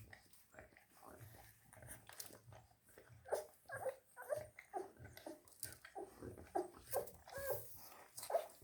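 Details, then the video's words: German Shepherd x Belgian Shepherd cross puppies on day 11 give thin, high squeals. They start sparse and grow more frequent in the second half, coming about every half second, with soft rustling and shuffling between them. "cachorros cruce pastor aleman / belga (dia 11)"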